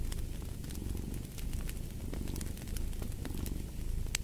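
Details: Steady cat purr, throbbing and low, pulsing gently in strength, accompanied by a wood fire's crackles and a few sharp pops.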